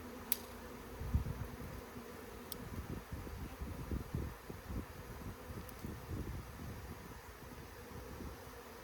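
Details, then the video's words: Swarming honey bees being gathered by hand give a continuous low hum, broken by dense bumps and rustles of handling throughout. "Bee SWARM!"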